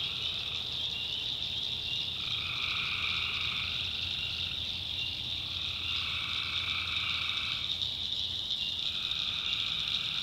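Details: Tree frogs at night in a North Carolina swamp: a steady high ringing chorus overlaid by lower trilled bursts that swell for about two seconds and return every three seconds or so.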